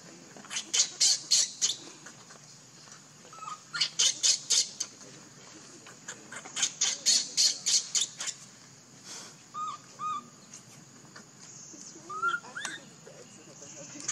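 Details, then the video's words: Baby monkey named Leo, living in the jungle, crying and begging its mother for milk: harsh high screeching squeals in quick clusters of four to six, separated by short pauses, with a few softer thin whistled cries between bursts. "Pitiful Baby Crying Call Mom Need Milk Much"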